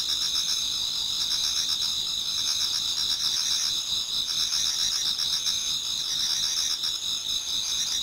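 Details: Many autumn insects sing towards dawn in a Japanese garden: steady high shrill trilling bands with fast pulsed chirping layered beneath, a dense continuous chorus of several callers without pause.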